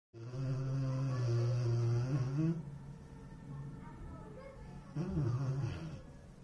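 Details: A Rottweiler snores while asleep, apparently running in its sleep, in long, deep, droning rumbles with a buzzy, harmonic tone.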